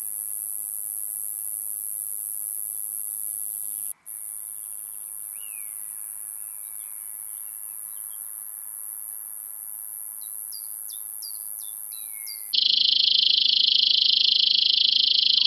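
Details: Roesel's Meadow Bush-cricket singing in Maising, Germany, 8 July 2020: a sustained shrill buzzing drone, interrupted once for a moment. Scattered bird chirps and short whistles sound behind it, and near the end the buzz drops to a lower, harsher tone.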